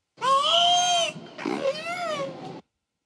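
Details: Female killer whale imitating the human words "one, two" after hearing them, two harmonic, nasal-sounding syllables, the first long and steady, the second shorter with a slight upward bend, then an abrupt stop.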